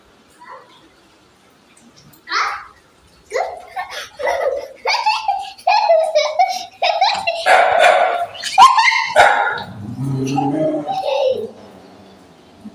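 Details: After a quiet start, an angry dog barks in rapid, irregular volleys of harsh yaps that grow denser mid-way, then fade into lower grumbling sounds, with voices and laughter alongside.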